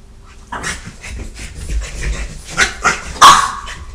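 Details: A French Bulldog gives short, harsh barks and growly bursts while attacking a Catahoula in a rough scuffle among dogs left home alone.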